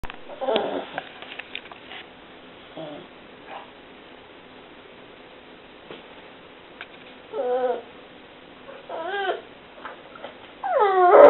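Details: A pet dog whining, described as mild: mostly quiet, then short high wavering whines near the end, each bending up and down, with a louder drawn-out whine rising at the close.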